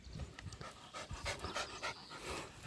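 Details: Dog making a strange noise: quiet, quick breathy bursts like panting, roughly three to four per second, each a soft hissing puff, with faint outdoor background.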